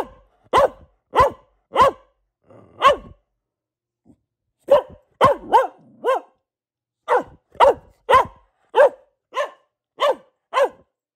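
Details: Pet female Boxer barking: a few evenly spaced barks, a short quiet spell, then a longer brisk series of sharp, clipped barks close together.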